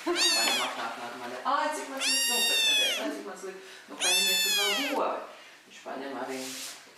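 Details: Domestic cats meowing: four long, whiny, arched meows about a second each, rising then falling in pitch, with brief human voices speaking between them.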